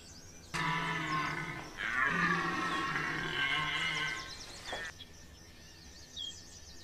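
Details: Rutting red deer at Chambord, France, in September 2021 giving a long, rough bellow in two surges lasting about four seconds, a low hoarse roar with a wavering upper tone, then bird calls and quiet.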